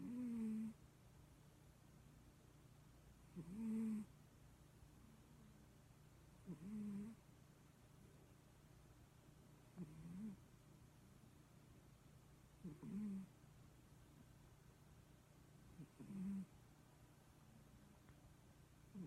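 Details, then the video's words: Leo, a pet cat, sleeping and snoring with a whistly, low nasal rasp on each breath, repeating roughly every three seconds for about seven snores. Quiet room hum fills the gaps. "leo snoring lol"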